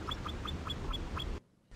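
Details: Himalayan marmot alarm call, played as an example of alarm call diversity across marmot species. A rapid series of about seven short, high chirps evenly spaced over just over a second, then silence.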